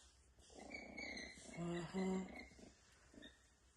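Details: Pet male skunk that has only recently begun making noise indoors gives a rough, buzzy, low growling chatter with brief tonal whines rising and falling over about two seconds, then a short final grunt; a man's voice nearby.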